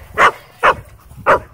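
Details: Dog at a dog park, playing with another dog: three short, sharp, loud barks in quick succession, spaced roughly half a second apart, with little else heard.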